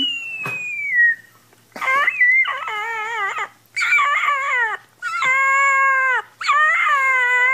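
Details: Puppy learning to howl gives a run of short, high, wavering howls in quick succession, each a second or so long and bending up then down, with brief gaps between them.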